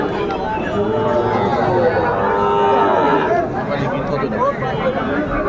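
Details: Sahiwal bull calves at a Chattogram cattle market on 11 January 2025, bought by farmers; a drawn-out, harmonic lowing runs for a few seconds beneath bargaining voices and general market chatter.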